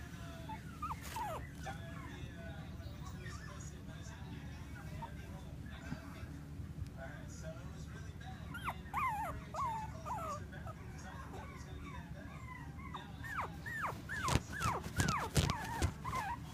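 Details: Female Bichon Frise puppy in Clearwater, Florida, giving repeated high whimpers and yips that rise and fall, scattered through the recording and thickening into a quick burst near the end, over a steady low background hum.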